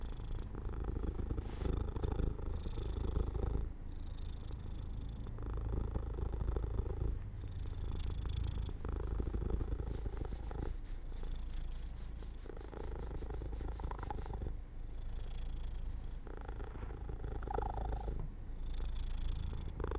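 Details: Domestic cat purring while falling asleep near an open window in sunlight; low rumbling purr in long alternating bursts of about two to three seconds separated by brief pauses, steady and close.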